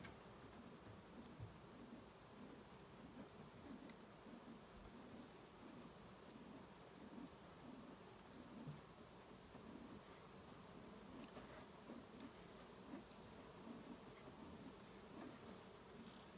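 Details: Western honey bees inside a hive, smoked during a trap out to speed their evacuation; a steady, dense low hum with a softly pulsing texture runs throughout, with faint rustling.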